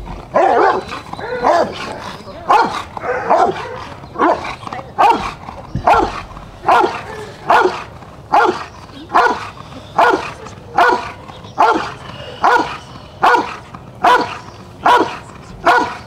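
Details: Rottweiler Jefe von Tonatiuh barking during the IGP3 protection routine of a qualifying trial for the 2021 DVG America National Championships; deep, forceful barks repeated steadily about once every 0.8 seconds over sixteen seconds.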